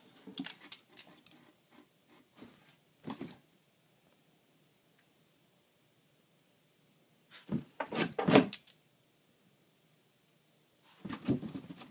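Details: Indoor bursts of rustling cardboard and knocking in a small room, separated by quiet stretches, with no animal voice heard.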